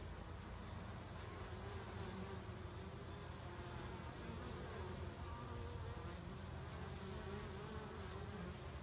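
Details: Honey bees washboarding at the front of the hive, rocking back and forth a few steps, blend into one steady, deep droning buzz rich in low tones with faint higher overtones, over a light background hiss.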